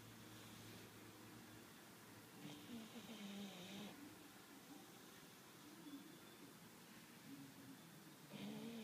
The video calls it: CARMELA - english bulldog - SNORING/RONCANDO